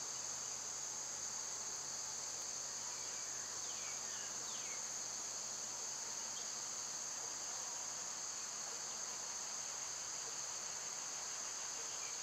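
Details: {'caption': 'Summer cicadas in full chorus: a steady, shrill high-pitched drone holds unbroken throughout, with a few faint downslurred bird whistles around the four-second mark and a low steady hum underneath.'}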